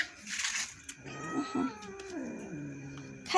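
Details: Pet cats fighting over food indoors while a person scolds them: a speech burst, then a long wavering meow that slides downward over about two seconds.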